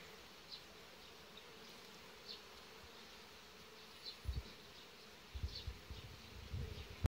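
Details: Crossbred Carpathian honey bees around the hive and queen give a low, steady hum, with a few louder buzzing surges near the end.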